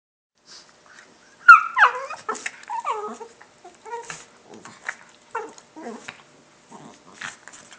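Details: Pet dog indoors making weird noises: a string of short whiny yelps and squeaky sliding whimpers, some falling sharply in pitch, with quiet gaps between bursts.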